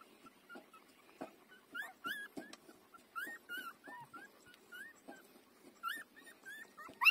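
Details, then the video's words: Five-day-old puppy nursing from its mother, giving frequent high squeaky whimpers, short rising and falling yelps scattered among suckling clicks and rustles, growing louder toward the end. "beautiful puppy 5-days-old take breastfeeding"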